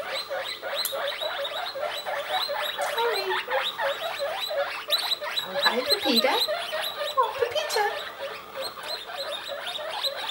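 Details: Baby guinea pigs squeal in a loud, crowded chorus of rapid high wheeks, about four a second, with a low human voice briefly mixed in near the middle.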